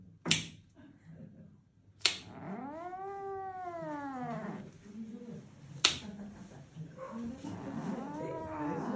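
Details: Angry house cat lets out a long, bending yowl that climbs and sinks, then a lower moan and a later rising wail, with three sharp clicks or knocks scattered through.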